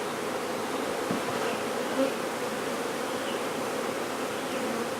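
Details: Honey bee swarm being safely relocated in Brownsville, Texas, after its queen was located: a steady, dense droning hum of many wings that holds level throughout, with one brief louder swell near the second mark.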